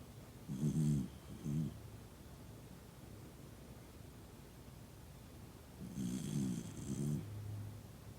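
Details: Sleeping deeply among family, Toy Poodle Noa snores in two bursts about five seconds apart. Each is a pair of short, low, rasping pulses, and a quiet room lies between them.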